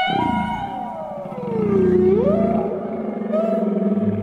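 A whale gives a long, tonal moan that slides down in pitch, then sweeps back up.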